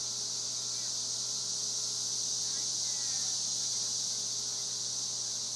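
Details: Cicadas in Spring Hill, Tennessee, fill the air with a steady, high, hissing drone that never lets up.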